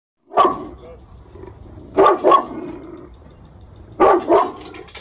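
A Rottweiler gives deep, gruff barks, single and doubled, at roughly two-second intervals.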